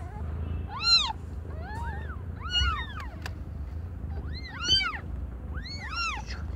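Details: Cat birth of five kittens with completely different colours, mother Aimee under a year old; strong, high, harmonic mews in quick arching bursts, sometimes doubled, every second or so, over a faint low drone.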